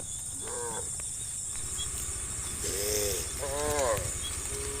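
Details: On a country road at low sun, a herd of tame brown and black cows being led to a farm give short, arched, fairly high moos over a steady outdoor hiss; finding: Cow.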